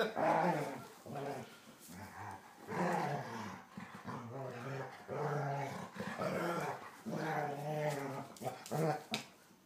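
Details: Older and younger German Shorthaired Pointers tussling, the younger pestering: steady low growls with rich harmonic grumbles, rising and falling in uneven bursts about every two seconds, with a few sharper yelps toward the end.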